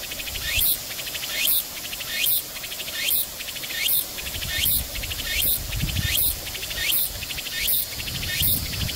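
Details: A Walker's cicada (Tsukutsukuboshi) sings high, rasping phrases repeated just under once a second, recorded on 29 August at a waterside park at Junichō-gata lagoon, Japan.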